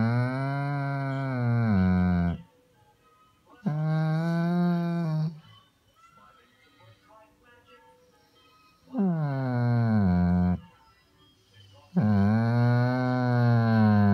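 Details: An attention-seeking Weimaraner "talks" in long, low, moaning whines that dip and rise, like a drawn-out bellow likened to a pregnant cow.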